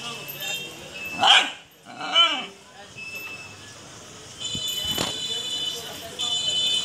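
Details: Japanese Shiba Inu giving two short, sharp yapping barks in quick succession near the start, then quieter stretches with a steady high-pitched tone and faint voices in the background.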